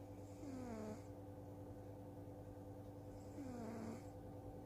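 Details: Two slow snores from a soundly sleeping cat, each a raspy exhale whose tone slides downward, separated by about three seconds of quiet breathing over a steady background hum.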